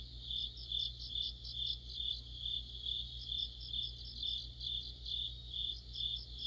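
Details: Crickets joined by other insects in an autumn chorus near a streetlight, high steady trilling with rhythmic chirp pulses swelling roughly twice a second over a faint constant low hum.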